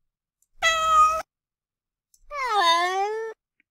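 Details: A domestic cat gives the "moan" meow subtype, with a longer or stressed final vowel: two drawn-out moaning meows, the second long and sliding down in pitch.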